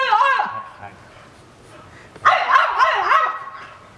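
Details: Pet French Bulldogs John and Bon, a male and a female, squabbling over a beloved visiting younger brother, let out a high wavering whine, then a louder warbling, yodel-like whimper that rises and falls several times, with a person's voice in the background.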